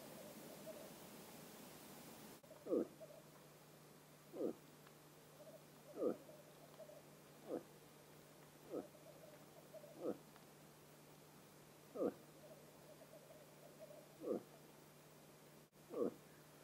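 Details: Bull moose in rut, autumn, Vest-Telemark, Norway: short, low, hollow grunts repeated about every one and a half seconds, roughly ten in a row, over a steady low hum.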